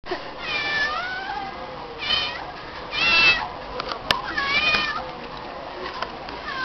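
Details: Stray female cat meowing in response each time people call her name; about five drawn-out, wavering meows over seven seconds, some rising then falling, with quiet gaps between and a faint background hiss.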